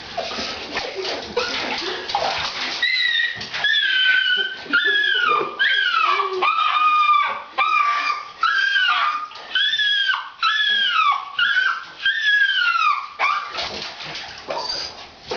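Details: Female dog protesting a bath given because she smelled horrible, crying as if being slaughtered: rapid series of high, arching whines repeated about once a second, each falling in pitch, over running water and brief voices.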